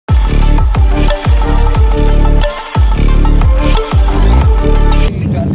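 Loud electronic dance music with heavy pulsing bass and no animal calls.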